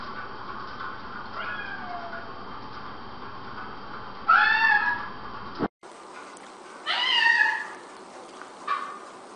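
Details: Domestic cat mewing repeatedly: a faint meow, then a loud bending meow, a cut, another loud wavering meow and a brief last one, spaced a few seconds apart over steady background hiss.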